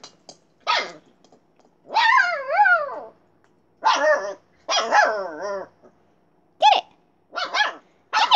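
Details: Siberian Husky or Alaskan Malamute puppy named Little Bear giving a string of short yelps and barks, then two longer wavering, rising-and-falling howl-like calls in the middle, followed by more sharp yips with quiet gaps between.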